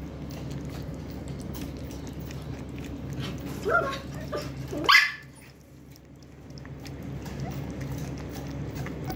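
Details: A female Lhasa Apso indoors gives two short, sharp barks over a steady hum.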